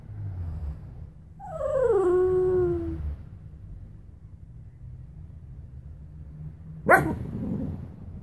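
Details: Luna the Bichon Frise, a pet dog, gives a drawn-out whimper that slides downward and levels off, then falls quiet. A sharp click or knock follows several seconds later, over low background hum.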